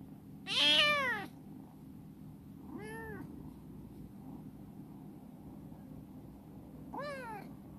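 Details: Chibikuro, a rescued black female former stray cat that has become affectionate and lives in a warehouse, gives three meows at roughly two-second and four-second gaps. The first is loud and bright, the later two softer and rising then falling, indoors.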